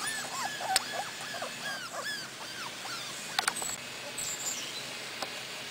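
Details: Four-week-old Cardigan Welsh Corgi puppies outdoors for the first time with their mother in Sweden; a quick run of short, arched, high whimpers over the first three seconds, then fainter squeaks and a few sharp clicks.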